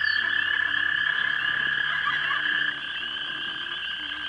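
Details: Mating frogs calling at a pond around dusk, March 2011, filmed on a small camera: a thick, unbroken trilling chorus holding two steady pitches, louder for the first two and a half seconds then slightly softer.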